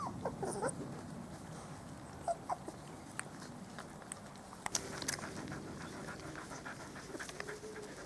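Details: Spanish Water Dog puppies, four weeks old, out in the garden for the first time with mother Trella nearby; brief thin whimpers and faint panting come in scattered bursts over outdoor rustling and light clicks.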